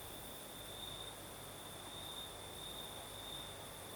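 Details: Night chorus of crickets in the south of Crimea: a continuous, even high-pitched trill at constant pitch with a faint upper shimmer, the sea-breeze night otherwise calm, with only a light hiss beneath.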